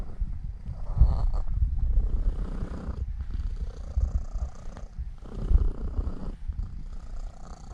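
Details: A pet Norwegian Forest Cat named Elf, a seven-year-old female, kneads and settles to sleep while purring. The purr is a deep, continuous throaty rumble with a soft breathy rise and fall every couple of seconds.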